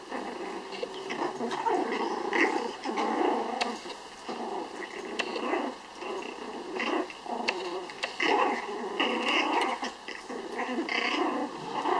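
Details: Pomeranian puppies, part of a litter of six raised in a home, playing tug-of-war; continuous rough, rumbling growls in bursts with short yips, fairly loud and steady throughout.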